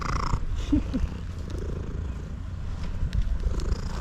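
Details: Loud purring from a male cat as it eats, a deep pulsing rumble that runs through the whole stretch, with a brief human voice near the start.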